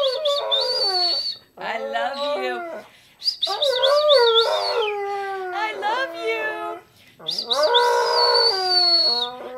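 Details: Rex, a pet dog, howling in three long bouts separated by short pauses, his voice rich in harmonics and wavering up and down, with a thin, steady high whistling tone sounding above the howls.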